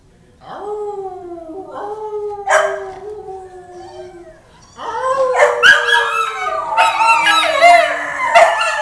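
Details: Two pet Petit Basset Griffon Vendéens howling together, easily set off: long drawn-out wavering howls, starting as one voice then joined by a second, rising into overlapping higher yodelling wails in the second half.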